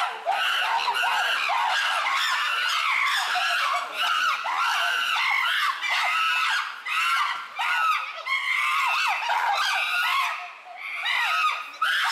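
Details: Chimpanzees in an uproar at Tama Zoological Park, June 2022: a dense overlapping chorus of loud, wavering screams and hooting calls, rising and falling without pause.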